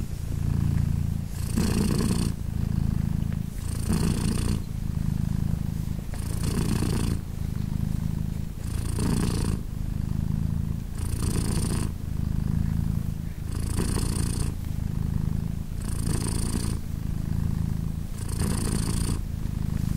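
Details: British Shorthair cat Polina, mother of three 3-day-old kittens, purring steadily as they nurse: a deep, even rumble pulsing with her breathing, a breathy burst roughly every two seconds, about nine cycles, calm and unbroken.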